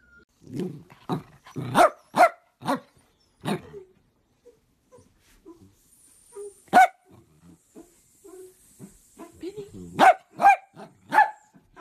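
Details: Miniature dachshund at play, giving quick runs of sharp barks, several in close succession, then a pause with soft grumbles before another cluster of loud barks; human voices in the background.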